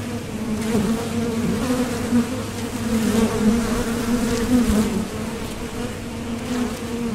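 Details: At the Top Bar Hive entrance, honeybees heading out for nectar or returning make a dense, steady hum with a clear overtone, slightly louder in the first half, then easing into a constant drone.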